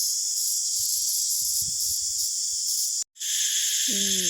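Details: Calling of a maeng i, a cicada-like insect, caught in the forest of Laos and held close to the camera; loud, steady, high-pitched buzzing drone with brief banded pulses, cut by a short gap, with faint low handling noise.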